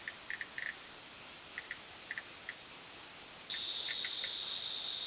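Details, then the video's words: Cicada song starting abruptly after a few seconds of near quiet, a loud, steady, high-pitched hissing drone, with scattered short high chirps heard before and during it. "蟬 cicada"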